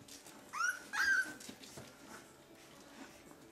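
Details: Two-week-old puppy from Limit's litter of thirteen gives two high whimpers indoors: a short rising-then-falling squeal, then a longer, slightly falling whine right after. Low rustling and soft background noise follow.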